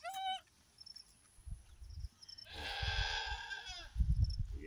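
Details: Goat at a farm birth of three female kids: a brief bleat at the start, then a longer, rough, breathy bleat lasting over a second amid low thumps and handling noise.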